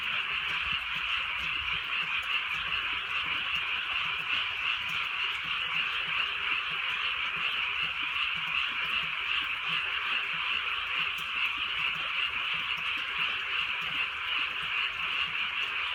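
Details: Dense frog chorus on a rainy rural night, many croakers blending into one steady, high, trilling drone that never pauses, with a faint drizzle in the background.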